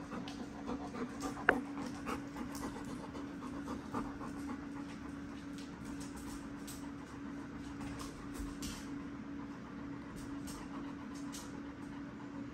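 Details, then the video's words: Dogs excited on seeing the whelping box, panting steadily indoors under a constant low electrical hum, with a few soft knocks and thumps scattered through. "Dogs were excited when seeing the whelping box"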